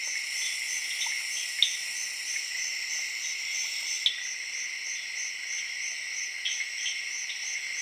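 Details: Crickets chirping in the jungle of Zaire in the late evening, alongside tree frogs: a dense, steady insect chorus of high, shrill trilling bands with a pulsing upper tone, plus a few brief clicks and sharp knocks.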